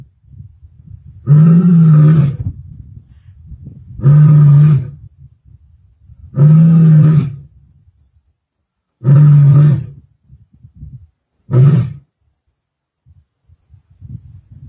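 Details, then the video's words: Lioness roaring in Sabi Sands, 23 May 2024: a steady series of five deep, booming roars about every two and a half seconds, each near a second long, the last one shorter, with quiet gaps between. "Msuthlu Lioness Roaring"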